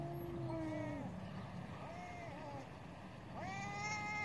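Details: Cats in a fierce fight: drawn-out, wavering yowls, one long low moan, then shorter rising and falling wails, with steady background noise throughout.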